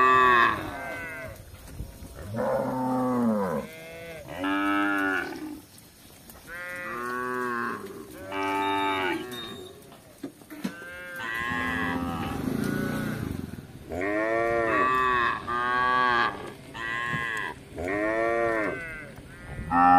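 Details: Tame cattle roaming a village in search of grass, mooing again and again: about a dozen drawn-out, harmonic moos, some rising then falling, one deep rougher bellow in the middle, spaced by short pauses.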